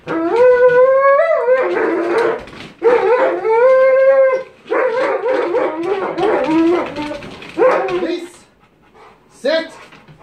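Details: Cane Corso Cronus doing bite sleeve work in a K911 Level 3 training session, voicing strained, warbling tonal cries that rise and sag, mixed with rough noisy bursts, then fading to short broken sounds near the end.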